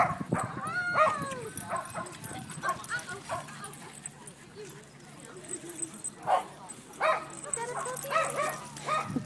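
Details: A corgi at a corgi meetup group gives short, sharp barks and yips amid a busy mix of voices.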